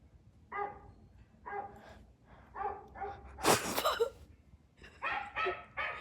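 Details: Young puppy reacting to dog sound effects; short harmonic barks and yelps repeated roughly every second, with one loud noisy burst in the middle.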